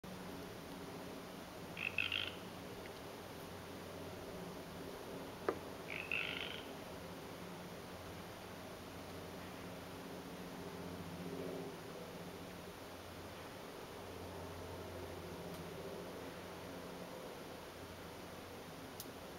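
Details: A tree frog gives two short, high, rattling calls a few seconds apart over a steady low hum, recorded in winter in Canada on February 12, 2013.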